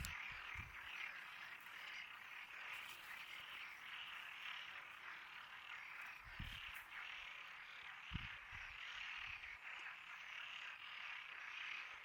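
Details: Many frogs calling together in a dense, continuous chorus of rapid croaks, steady throughout, with a few low thumps near the start and middle.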